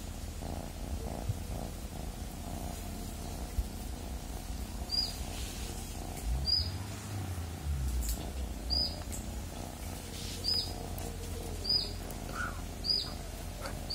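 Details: Domestic cat purring in a steady low rumble, with a bird's short high chirps repeating roughly every one and a half seconds over it.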